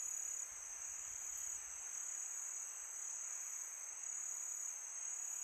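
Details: Crickets on a peaceful summer night, a continuous high-pitched shimmering trill held steady throughout, with a soft hiss of wind beneath and no music.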